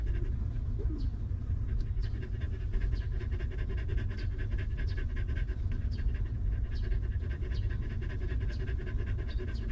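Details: Stray mother dog with a newborn litter of puppies, living rough and later given shelter and food; fast, steady, rhythmic panting breaths run unbroken throughout, soft and even in loudness, with no other clear sounds.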